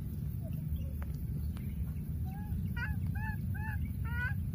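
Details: A wild baby monkey keeps calling for its lost playmate, giving a run of four or five short, clear, wavering cries in the second half, each a little over half a second apart, above a low continuous rumble.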